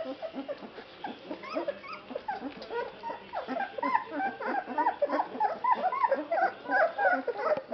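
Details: Litter of 21-day-old Basset Hound puppies at a kennel in Poland, vocalizing at feeding time; a steady, dense chorus of short rising and falling whines, roughly three per second, from many pups at once.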